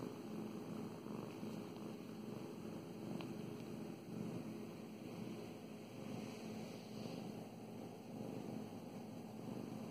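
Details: Petted house cat Mow Mows giving a soft, even purr, a low continuous buzzing rumble with slight rises and falls, a single sharp click and faint rubbing of fur.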